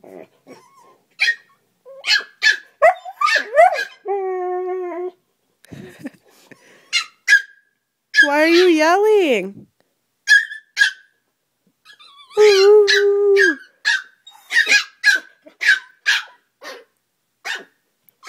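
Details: Husky and chihuahua playing noisily one morning, with several sustained, wavering howl-like yells and quick yips, mixed with a hoarse woman's voice talking to the dogs throughout.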